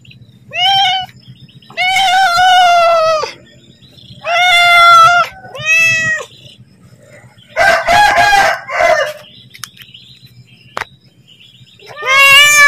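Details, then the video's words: House cat begging for food as it is about to be fed, giving repeated loud, drawn-out meows, some arched in pitch and one hoarser and noisier, with a low hum in the background. "Suara Kucing Memanggil / minta makan"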